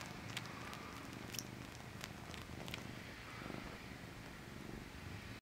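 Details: Male domestic cat sucking his paw, heard as a soft, continuous low rumbling purr, steady throughout, with a few faint clicks and rustles over a hissy background.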